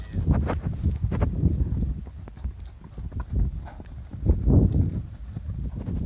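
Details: Welsh Cob foals of the Donallt stud, 2020, galloping out to new pasture: muffled, irregular thudding hoofbeats on soft ground come in uneven bursts, louder near the start and again toward the end, over low rumbling outdoor noise.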